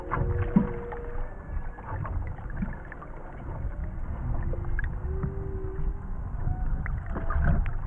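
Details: Three humpback whales underwater near Maui, 2018: a series of clear sustained moaning tones, some steady, some gently rising or falling, a few seconds apart, with constant deep water rumble and intermittent clicks.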